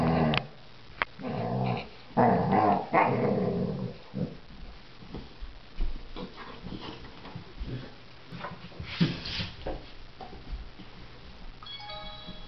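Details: Pit bull, a male pet, growling while chewing a bone: deep harmonic rumbling growls in several bursts over the first four seconds, then quieter gnawing and chewing noises with brief soft growls.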